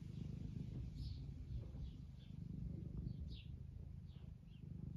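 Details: An 11-year-old domestic tabby with semi-long fur, Eric, purring contentedly in the UK as he is petted for attention; a dense, even low rumble fills the whole stretch, with scattered thin bird chirps far behind.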